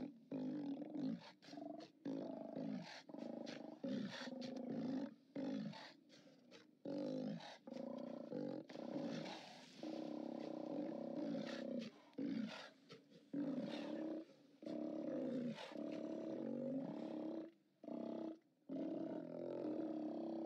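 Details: Steller sea lions on their haulout, captured by live cam on 29 October 2017, roar almost without pause. Throaty, growling calls overlap in a dense chorus, broken only by brief gaps of a second or less.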